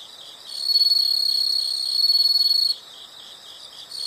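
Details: Insects in a natural setting give a loud, high, rapidly pulsed trill lasting about two seconds with a brief dip midway, then drop back to softer steady trilling, which swells again at the end.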